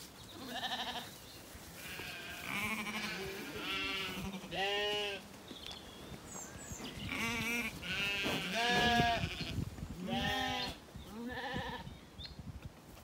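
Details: Zwartbles lambs, recently weaned and settled, graze in an orchard at evening in County Kilkenny, Ireland. A flock chorus of overlapping, quavering bleats sounds nearly every second, some high and some lower, with munching and rustling beneath.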